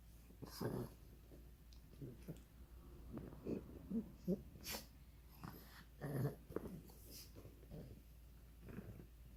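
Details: Pug named Ronja making funny noises indoors: low, rough snorting and wheezing breaths in uneven clusters, louder around the middle and after six seconds, then tapering off.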